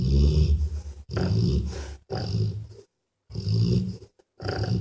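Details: A mother dog snores deeply while she sleeps beside her puppies after an exhausting day. The breaths are low, rasping and drawn out, with one longer silent pause midway.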